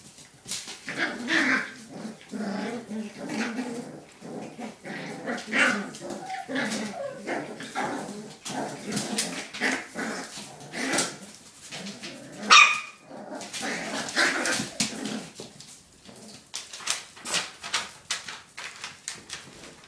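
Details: Five puppies playing together, giving a dense run of short yips, growls and squeaky barks that overlap almost continuously for twenty seconds, with one sharp louder yelp near the middle.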